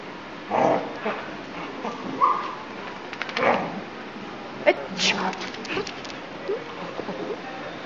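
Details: Border Collie dog going crazy in reaction to a person's sneezes, letting out short, sharp barks and yips in scattered bursts about a second apart, mixed with human speech and a sharp sneeze-like burst.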